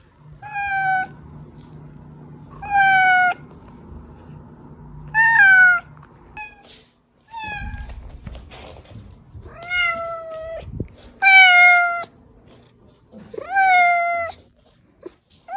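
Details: Pet cat calling with repeated meows, used to lure cats out of hiding; about eight rising-then-falling harmonic meows roughly every two seconds, a few rougher and higher, with brief rustling and low thumps between.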